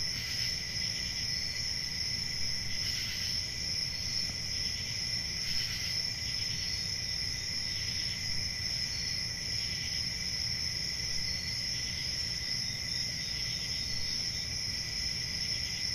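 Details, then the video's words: Night-time summer forest with a cricket chorus: a sustained piercing trill, periodic brighter bursts every few seconds early on, and a quiet low-pitched hum beneath. "Relaxing Cricket Sounds For Sleep"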